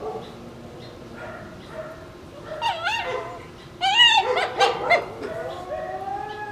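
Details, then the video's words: Pair of Shiba Inu puppies playing over a bone, letting out strange fox-like screams: quiet whines at first, then a loud burst of warbling, wavering squeals and yelps near the middle, tapering into thin whines. "Shiba Inu puppies act like foxes with strange scream sounds"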